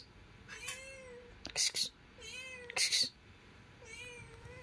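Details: Mother cat with her kitten: three soft, drawn-out meows with a gently rising then falling tone, spaced about a second apart, interrupted by two short bursts of hissy noise between them.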